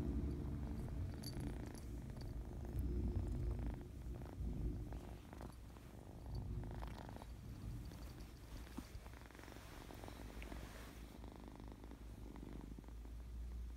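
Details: Kitten, happy and very playful, purring in a strong, continuous bass rumble, its pulsing rhythm swelling and easing with each breath over about fourteen seconds in a quiet indoor setting.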